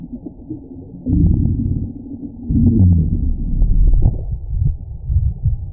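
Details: Sea lion making a bluff charge: deep, muffled rumbling growls in low, dull bursts that swell after the first second and again near the third, with faint clicking over a steady low murmur.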